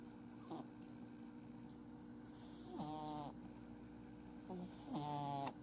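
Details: Nuts, a male Exotic Shorthair kitten born July 2018 with a flat nose, snoring while asleep at home: two rattling, harmonic snores with airy hiss, roughly two and a half seconds apart, over a steady low indoor hum.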